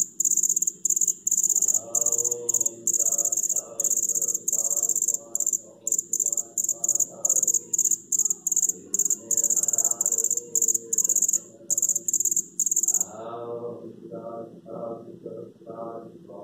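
A male cricket gives a high, shrill trill in rapid bursts, broken by brief pauses, to attract a female. Soft human voices murmur underneath.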